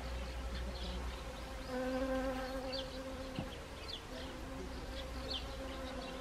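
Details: Honeybees visiting Siberian chrysanthemum in Gangwon Province, Korea, autumn, 1 October 2020. A close bee drone grows louder around the second second, rich and steady with overtones, then fades. A short click is heard, with faint high chirps in the background.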